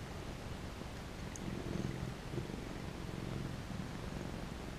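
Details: Happy cat being petted gives a low, steady purr that grows a little louder midway, pulsing rhythmically, with a faint tick early on.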